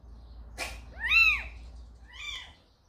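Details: Cat at a house where a calico mother cat called Samsaek carried in a kitten and left it; one clear, arched, high meow rising then falling, with a fainter meow after it and a soft click before it.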